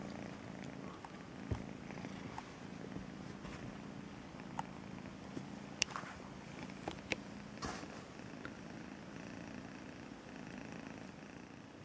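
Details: Steady, low purring from Melissa, a rescued house cat raised from a two-month-old kitten, with a smooth rumbling drone throughout and a few sharp clicks and taps over it.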